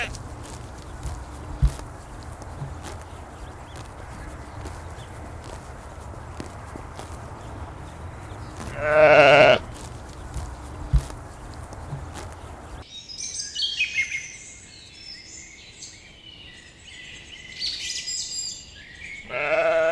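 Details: Grazing lambs in a green forest: one short, strong bleat midway and another starting at the end, with rustling and a low hum early on, then lively high bird twittering.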